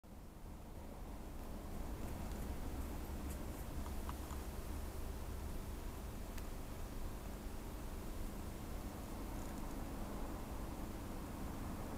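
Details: Only a constant low hum and hiss with scattered faint ticks are heard indoors, with no animal calling.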